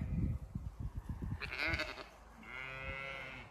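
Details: Penned sheep on a County Kilkenny farm in Ireland, hoping to be let through, give a wavering bleat and then a longer, steadier one, after a run of low thumping knocks.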